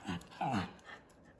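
A miniature schnauzer gives two quick, snorting sneezes with a faint squeaky, whimper-like edge.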